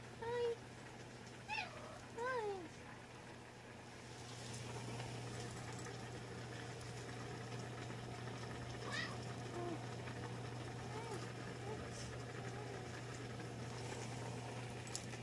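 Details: Miita, an affectionate Munchkin cat, recorded 4 January 2020, gives three short rising-and-falling meows in the first few seconds, then only a low steady indoor hum and faint background noise remain.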